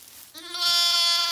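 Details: Newborn Zwartbles lamb, just moved from a noisy shed into a stable on a County Kilkenny farm in Ireland, lets out a loud, steady, nasal bleat. It starts after a brief pause and holds to the end.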